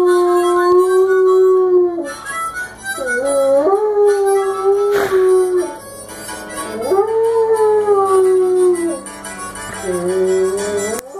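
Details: A Doberman sings along with harmonica blues, giving drawn-out howls that swoop upward and then slowly sink, several in sequence, blended with steady harmonica playing.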